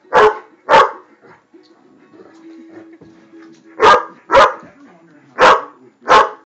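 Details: Great Dane barking in reaction to a flame it cannot stand: six loud, sharp barks come in quick pairs, with a quiet pause and a faint steady tone between the first and second pairs.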